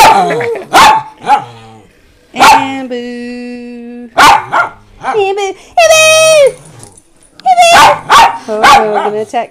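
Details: Rescued pet Miniature Pinschers and a Doberman give sharp barks between long, steady, high whining yelps, one whine sliding downward, while a person speaks softly in the background.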